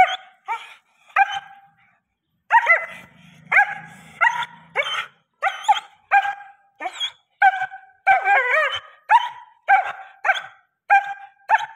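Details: Large German Shepherd dog described as fully aggressive, barking in sharp repeated bursts about twice per second with a pause near two seconds, some barks stretching into rough, yelping tones; a low murmur underneath for a moment.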